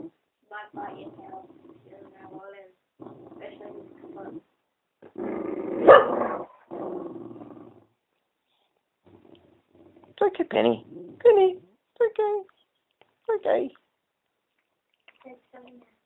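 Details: Pet dog reacting to a talking Eeyore puppet, first with low sustained growls, then a loud harsh bark and several sharp barks in a burst near the end, over a person's reassuring speech and the puppet's talking.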